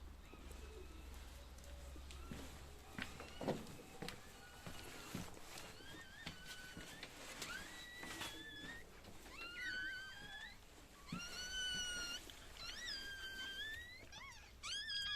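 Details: Female Chihuahua giving birth to a litter of seven puppies: after a noisy start, thin high squealing cries with bright harmonics rise and bend, repeating in short bursts over the last several seconds.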